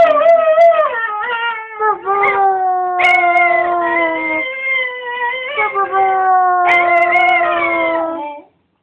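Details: Cocker Spaniel howling in imitation of its owner, singing along with passion; sustained tonal howls that step down in pitch and then rise again in several drawn-out phrases, ending abruptly.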